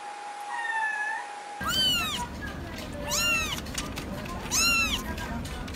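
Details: Kittens mewing: a steady tone at first, then three arched high meows about one and a half seconds apart, each rising and falling, over a constant broadband hiss.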